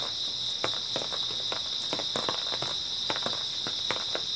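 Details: Early autumn night with grass insects keeping up a constant high, even chirring drone, overlaid by the sharp crunch of walking footsteps.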